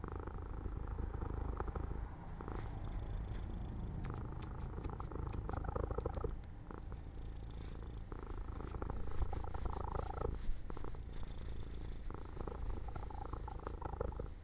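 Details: Pet cat falling asleep by an open window in the sunlight, giving a soft, low rumbling purr in uneven breath-length stretches, with some faint clicks and rustles behind it.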